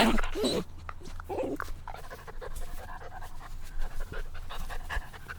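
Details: Puppies playing outdoors in nature, panting in quick rough breaths with a brief vocal whine at the start and a steady low hum underneath.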